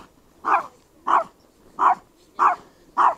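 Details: Chihuahua named Mosya, small dog barking after being set upon by a shepherd and another dog: five sharp mid-pitched barks, evenly spaced about every 0.6 seconds, with quiet background between them.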